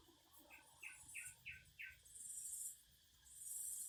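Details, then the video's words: Cicadas singing outdoors give two separate bursts of very high, hissing buzz, each lasting about a second. Before them comes a run of five quick, lower chirps, and faint rustling noise sits underneath. "Singing cicadas."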